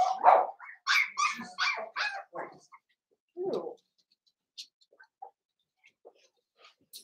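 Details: Cavalier King Charles Spaniel puppies, blenheim coloured, indoors in a home pen; a quick cluster of loud yaps and squeaky barks over the first three seconds, one lower bark, then near quiet with faint clicks.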